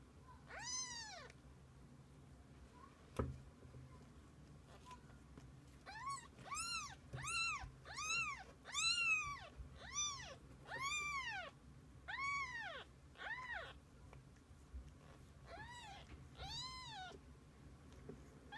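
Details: Kittens with their mother cat spending the day together; a rapid series of about a dozen high, arched, harmonic meows, roughly one a second, follows an opening cry and a soft knock, with a quiet room hum beneath.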